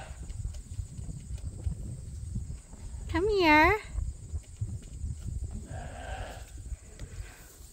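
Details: A single short, quavering bleat, wobbling in pitch, rises above a low rumble of background noise at Ewetopia Farms, where rams Gladiator and Leonard spend time on a registered Suffolk and Poll Dorset sheep farm.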